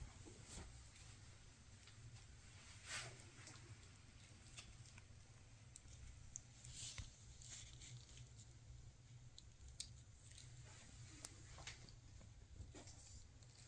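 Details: Maine Coon mother Freya with her kittens on their last day together before they move to new homes; a quiet, low, steady purring rumble with scattered soft clicks, pats and rustling indoors.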